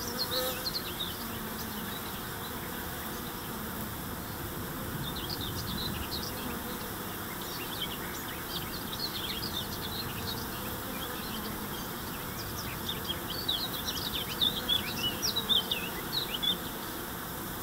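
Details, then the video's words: A steady, even hum of many honey bees flying out to forage in early May 2013, after dry weather and chilly nights, with scattered thin bird chirps growing busier toward the end. "Trachtflug am 4. Mai 2013"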